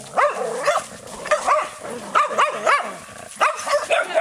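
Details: Skye Terrier barking in a fast run of sharp, arched yaps, roughly eight in four seconds, each with bright rising-then-falling harmonics; faint background hiss.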